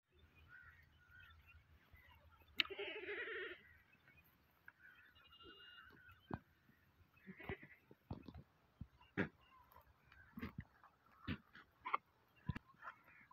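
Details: Goat for sale, a "maki cheni bakra", giving a short harmonic bleat near the start, followed by scattered clicks, knocks and faint bleat-like calls amid low background rumble.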